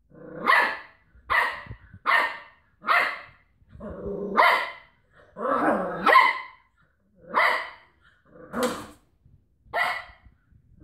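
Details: Cocker Spaniel wrestling with a washing tablet carton: a series of about nine short, harsh, rough-edged barks, roughly one per second and unevenly spaced. A few bursts sink into lower, longer growling snarls. No other clear sounds.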